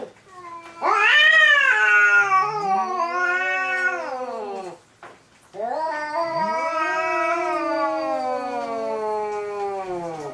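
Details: Domestic cats Hokuro and a black-and-white cat in their third fight, yowling at each other: long, wavering, rising and falling wails full of harmonics, one drawn-out howl, a brief pause near the middle, then a second sustained, slowly falling howl.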